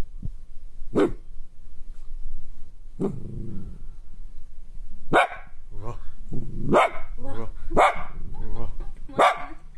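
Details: Female Kaninchen Dachshund named Nonno, born February 2014, barking indoors in frustration at staying home during a state of emergency. Six sharp, loud barks arrive at irregular intervals of one to two seconds, with a person murmuring quietly between them.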